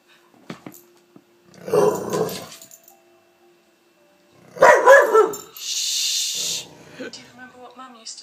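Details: Layla, a Palestinian street dog now living in Canada, plays wildly with a lamp shade indoors, letting out two rough, harmonic growling bursts separated by quiet, followed by a hiss-like rustle and fainter wavering vocal sounds.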